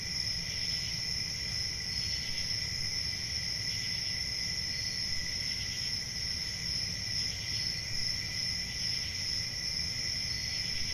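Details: Crickets chirring through a summer night in the forest, a long unbroken high-pitched ringing that swells faintly in regular pulses, with a steady low rumble beneath.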